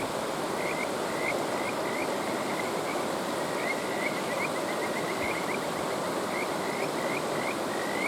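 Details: Kajika frog at a mountain stream giving repeated bright rising whistles and brief rapid trills, one after another through the whole stretch, against loud continuous stream noise.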